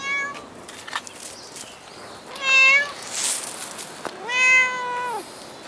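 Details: Cat at Dockyard Garden, recorded outdoors in the early morning of 21 August 2016: two clear, harmonic-rich meows, the second longer with a steady tone that drops at the end, over faint background noise and a few short chirps.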